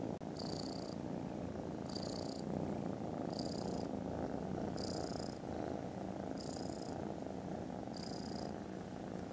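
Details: Steady rumbling purr from contented foster kittens snoozing after lunch on Friday 18 December, very loud and even, with a bright high chirp repeating about every 1.5 seconds behind it.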